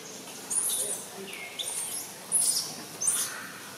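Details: Baby macaque Jixn, from a monkey troop in Siem Reap Province, Cambodia, throws a crying tantrum as its mother Jade refuses to let it nurse; shrill, very high squeals come in three loud bursts over a quiet outdoor background.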